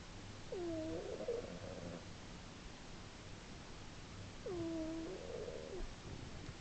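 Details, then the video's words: Snores from a sleeping female pet cat, loud enough to carry three rooms, March 2010; a thin whistled tone and buzzy rattle repeat twice, roughly four seconds apart, over a low steady background hum. "My snoring cat"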